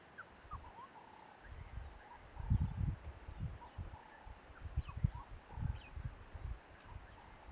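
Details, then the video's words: An elephant, Subat, snores peacefully in deep rumbling breaths while napping under a tree, watched by rangers from a distance, with soft bird chirps in the background. "Peaceful Elephant Snores ... A Wonderful Sound"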